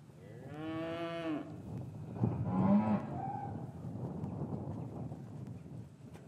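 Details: Cattle lowing in a traditional English cattle yard on a winter afternoon after the calves were separated from their mothers, captured with a matched pair of Rode M5 microphones. Two moos: a drawn-out, rising-then-falling one, then a shorter one, over low rumbling yard noise.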